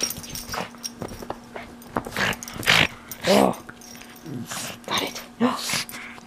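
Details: Pug dog attacking a plush toy with gusto, giving rough snorts and grunting growls in uneven bursts, a few with brief wavering whines, against a constant low hum and occasional human voice.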